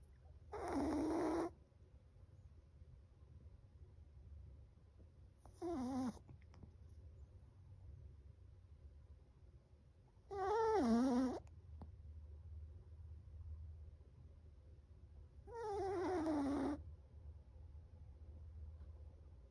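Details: Loud snoring from Chocolate, a 7-month-old Chihuahua asleep: four wheezy, whistling snores, some falling in pitch, spaced irregularly about every four to five seconds over a low background hum.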